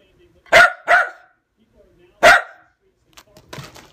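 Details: Lakeland Terrier barking at Christmas presents time; two sharp barks in quick succession, a pause, then a third, followed by rustling and handling noises.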